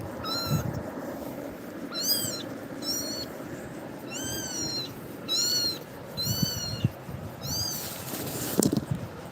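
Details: A kitten, frightened by Tiger's actions, cries repeatedly while clinging to a person; about nine short, arched, high-pitched meows in irregular bursts, with some rustling and a sharp knock near the end.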